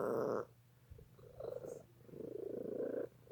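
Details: Domestic cat waiting for dinner, purring indoors: a brief louder tonal burst at the start, then soft pulsing rumbles, quiet and rhythmic, building toward the end.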